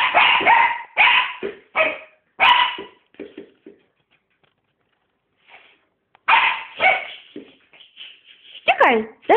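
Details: Female Sealyham Terrier giving a rapid string of loud, ringing barks, then softer yips that trail off into a two-second silence, before another run of barking ends in a sliding, whine-like note.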